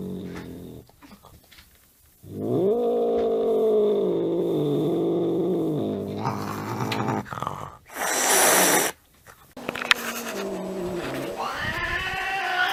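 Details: Angry domestic cat giving a long, steady, low moaning yowl lasting several seconds, followed by a sharp hiss-like burst and further rising wails; people talking nearby.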